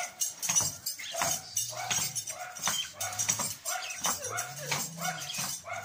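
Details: Dog barking loudly while a horse dances nearby; sharp, harsh barks come in a rapid, slightly uneven series, roughly one every half second to second, over a low steady hum.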